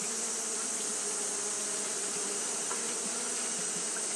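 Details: On a hot day, Japanese honey bees keep up their fanning, producing a constant, even drone with a low hum under a high airy hiss, no pauses or other noises.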